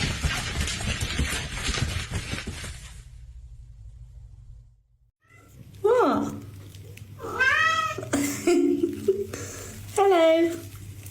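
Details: Pet cat from a comedy compilation giving a run of three or four short, bent meows in quick succession after a burst of rushing noise and a quiet gap, with a faint hum underneath.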